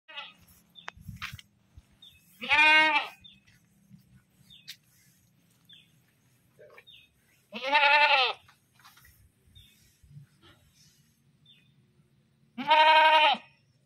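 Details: Screaming goat giving three loud, harsh, wavering bleats, each about a second long, spaced roughly five seconds apart, with faint clicks and background noise between them.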